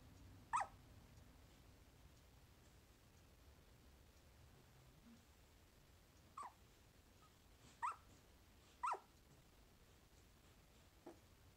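A sleeping Corgi puppy gives short, soft yips and muffled whimpers, spaced irregularly over a quiet background.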